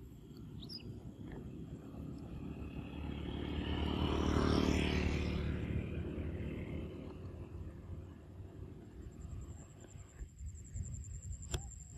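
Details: A vehicle rumbles past in a rural outdoor setting, swelling to a peak midway and fading, with steady low background hum and no clear animal voice.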